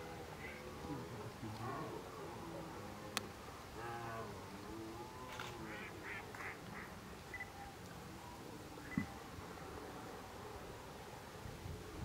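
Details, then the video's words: A red deer stag at the start of the rut gives deep, harsh, drawn-out roars far off over water at 19:20 as dusk falls after sunset, with hinds and young stags moving among islands. "Przepiękny byk jelenia podczas rykowiska!"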